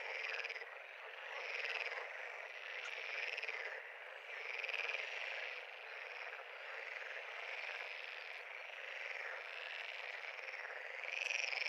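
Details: Pond full of frogs giving a steady, buzzing chorus; overlapping pulsed trills form a constant drone, with a few louder, higher trills standing out now and then.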